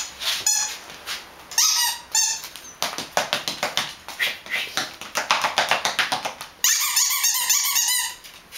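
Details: Dogs barking: a quick series of short, high-pitched squeaky yips, several per second, ending in a louder burst of overlapping shrill yelps.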